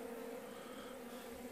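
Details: Steady low hum from a weak honey bee colony that a beekeeper is nursing through the end of winter as spring nears. The queen is present among very few bees, and the drone holds on two even pitched bands.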